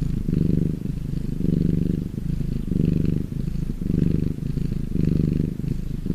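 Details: Purring of a domestic cat when happy: continuous low rattling hum, louder swells recurring near every 1.2 seconds, five or six cycles, close and steady with no background sounds.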